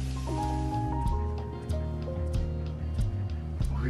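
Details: Music with sustained tones and low bass notes fills the room; no animal voices.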